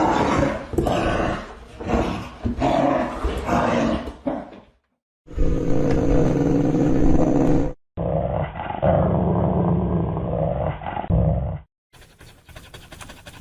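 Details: Several recordings of big dogs barking loudly and deeply: rapid barks in the first four seconds, then sustained low growling roars in two separate segments, followed by a quieter fainter section; joined by abrupt cuts.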